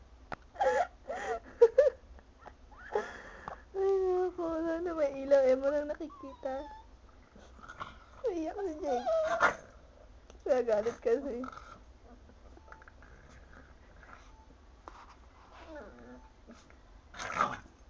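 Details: Indoors, a Chihuahua keeps pestering a sleeping Pug, which objects; wavering, sing-song whines and grumbling moans come in several bursts separated by quieter snuffles and pauses, with a sharp huff near the end.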